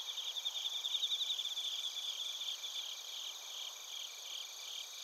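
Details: Crickets, including bell crickets, in Narita, Chiba Prefecture, Japan, captured with a TASCAM Portacapture X8; many insects overlap in a shimmering high chorus, with rapid trilled pulses standing out early, then fading to a softer steady hum.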